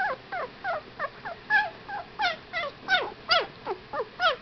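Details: Fifteen-day-old Whippet puppies squeal and whimper in quick succession, each call a thin falling or bent note, some rising sharply before dropping, repeated two to three times a second and growing louder toward the end.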